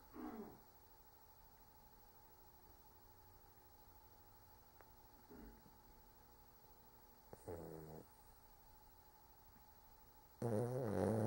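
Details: Sleeping dog named Cork giving short, scattered snorts and snore bursts separated by long stretches of quiet, with a louder rumbling snore building at the very end over a steady faint indoor hum.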